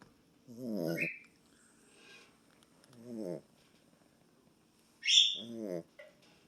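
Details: Small boxer dog asleep and snoring: three vibrating, raspy breaths separated by silence, the last ending in a thin whistling squeak.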